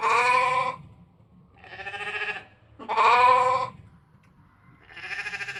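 A ram gives four rich, wavering bleats, each under a second long, spaced about every second and a half.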